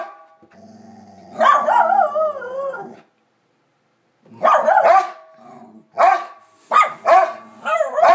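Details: Two dogs, Bronner and Bella, barking up a storm: a soft growl, then a long wavering howl-like bark, a pause, and a run of sharp barks with yelping, wobbling tones.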